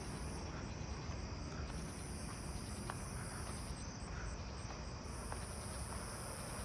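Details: At night in a neighbourhood, a Nebraska conehead hidden in ground cover gives a high, steady buzz broken by brief pauses, over a low rumble of footsteps.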